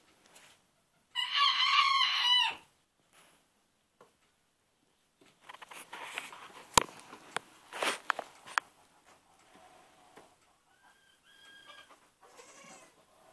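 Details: Baby goats, newly acquired: one loud, high, wavering bleat lasting just over a second, then scattered knocks, rustling and faint softer calls.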